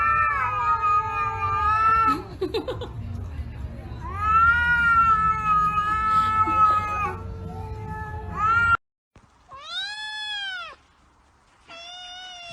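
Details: Angry house cats fighting: extended, loud, steady caterwauls with rich harmonics and a low rumbling background, a sudden silence, then two separate arched wails, each rising and falling.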